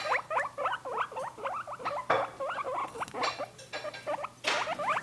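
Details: Two caged guinea pigs romping about, giving rapid runs of short rising squeals, several per second with brief pauses, mixed with scrabbling and thumping from the cage.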